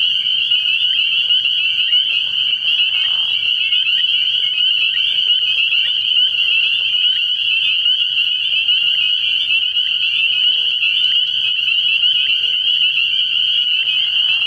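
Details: Spring peepers calling in a dense chorus from a frog pond at night early in the year: countless high, piercing peeps merge into a steady shrill ringing, with a faint low hum underneath throughout.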